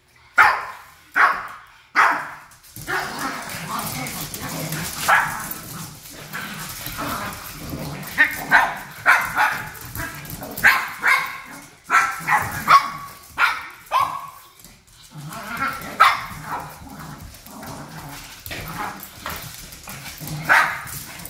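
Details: Japanese Chin family with parents fighting and the daughter taking mommy's side; repeated sharp high yaps and barks in irregular bursts over a murmuring background, some faint speech.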